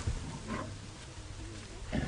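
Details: A Nkuhuma lioness at sunset on Aug 26, 2017, gives low, rumbling growls, warning off a sniffing male; she is not in the mood for mating.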